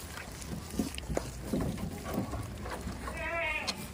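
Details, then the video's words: Village farm goat gives a single short, quavering bleat near the end, after a stretch of thumps, shuffling and low rumbling noise. "farm goats"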